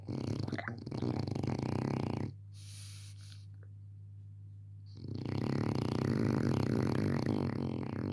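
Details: Pepe el Jefe, a French Bulldog puppy, snoring in his sleep: a long harsh rattling snore, a hush of a few seconds, then another extended, vibrating, throaty snore, with a low hum throughout.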